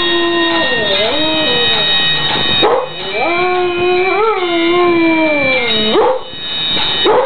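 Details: A husky howls along to the tune of Flower of Scotland: long, wavering, drawn-out howls that rise and fall in pitch, with a short break midway. Steady sustained notes of the music play underneath throughout.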